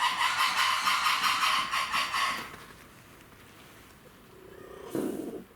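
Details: Captive red ruffed lemur, Saitama Children's Zoo, Japan, 3 February 2018: a loud, rapidly pulsed, raucous barking series of about three beats per second for two seconds, then quiet, with one short lower grunt near the end.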